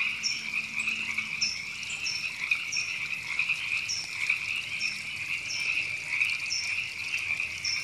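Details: Frogs called river frogs, heard in Temescal Canyon Park, Los Angeles, California, in April 2017, form a thick, pulsing croak chorus, with sharp, high, down-slurred chirps repeating roughly every second above it.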